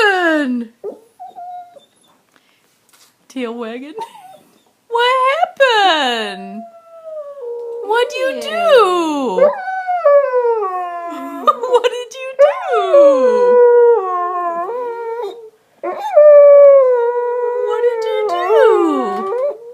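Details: Dog throwing a temper tantrum after pushing his bone under the sofa: bursts of high whining howls that slide downward and wobble, broken by short pauses, with a person's voice mixed in.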